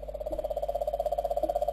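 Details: Cane toad calling in Queensland and the Northern Territory, Australia; a steady, rapid pulsed trill of low purring notes, about fifteen pulses per second, continuous throughout with no pause.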